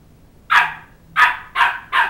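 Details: Two-month-old Shetland Sheepdog (Sheltie) puppy barking while chasing a two-year-old child around a coffee table to win back his stuffed toy dog head; four sharp, high barks, the last three coming in quick succession.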